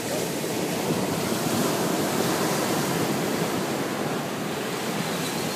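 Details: Steady roar of breaking waves and wind buffeting the microphone on a sunny beach, with no animal voice heard.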